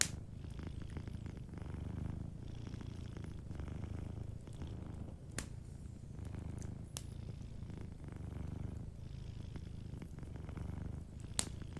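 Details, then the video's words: Gentle purring of a sleeping house cat next to a crackling fireplace. The low rumble rises and falls in regular breath cycles of about two seconds, broken by occasional sharp pops from the fire. "Warm Fireplace Ambience with a Sleeping Cat 🐱💤Fireplace & Soft Purring"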